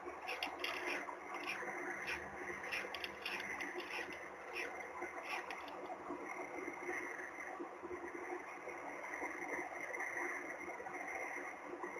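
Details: Steady broadband hiss and low static with a faint constant tone, no clear animal voice.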